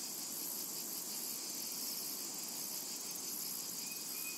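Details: A continuous high hissing drone of cicadas in a summertime meadow, steady and unvarying, with a short faint whistle near the end.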